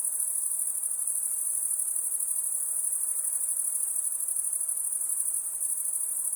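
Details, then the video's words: Crickets at night, a dense unbroken chorus of high, shrill chirping that holds steady and pulsing throughout, with a faint hiss underneath and no other clear sounds. "Crickets (Night)"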